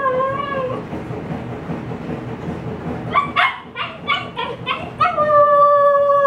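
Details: Upset female Husky puppy alone inside while a yard sale is set up outdoors: a short howl opens, a quiet stretch follows, then a burst of quick whimpering yips and a final long level howl.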